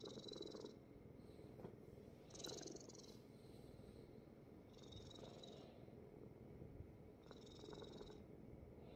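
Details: A Korean Shorthair kitten rescued from a construction site purrs on dad's belly, a deep even rumble sustained throughout, with soft breathy hissing recurring roughly every two and a half seconds.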